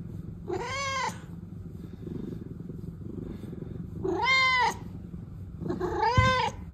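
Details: One of the protected cat sisters Pina and Pico, a house cat, utters three drawn-out meows about three seconds apart, each rising then falling. A low steady rumble underlies them.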